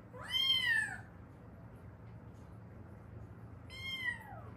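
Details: Rescued stray cat, mother or daughter of a pair that survived seven years in Haeundae: one loud falling meow, a three-second pause, then a second similar meow, over a quiet room hum.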